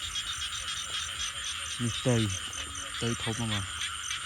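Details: Frogs heard while out searching for them: two bursts of harsh, stacked croaks, each a quick run of rising notes, set against a steady, loud high-pitched insect chorus.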